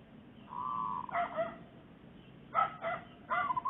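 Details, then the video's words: A domestic dog that has recently given birth, in the Makassar industrial area in the morning, gives a thin whine, then four or five sharp, mid-pitched barks in two bursts, over a faint background hum. "Anjing Menggonggong"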